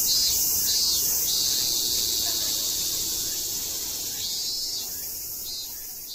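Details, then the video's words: Japanese cicadas recorded in Tokyo in September 2012 fill the air with a dense, hissing high-pitched drone that swells and pulses steadily. "The song of Japanese Cicadas"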